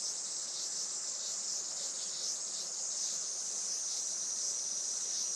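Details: Summer cicada chorus at a traditional Japanese farm in Saitama, 20 July 2024, late morning, sunny: continuous shrill buzzing with gentle rhythmic swells, about one pulse every second.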